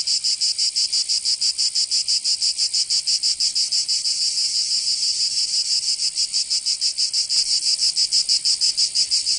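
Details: Cicadas singing in summer in Provence, southern France: a dense, high, hissing buzz pulsing rapidly at about three beats per second, steady and unbroken, with no other sounds.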